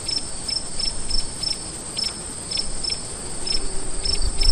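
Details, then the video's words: Crickets at night: sharp, high chirps repeating every third of a second or so over a steady, thin high-pitched trill, with a soft low rumble underneath. "Sonido de GRILLOS en la NOCHE"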